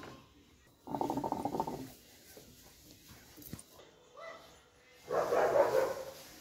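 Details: Dobermann with two drawn-out, harmonic barking bursts about four seconds apart, each lasting under a second, separated by faint knocks and a brief higher voice-like sound.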